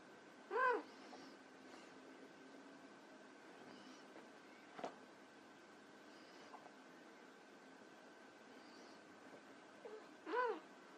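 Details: Two brief, thin meows from white Persian kittens at play, one at the start and one near the end, separated by a long quiet stretch with a faint tap.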